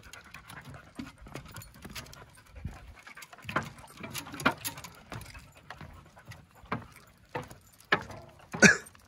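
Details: Yellow Labrador Retriever Mulan climbing up and down stairs on the Quarry Rock hike in Vancouver: soft breathy panting bursts at an uneven pace, mixed with scuffing footsteps and outdoor background.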